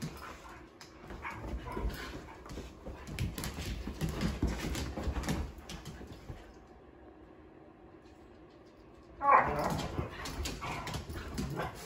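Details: Indoor play among three dogs, led by a female Sheprador: several seconds of muffled scuffling and grumbles, a quiet pause, then one sudden sharp bark-like yelp, followed by softer rustling.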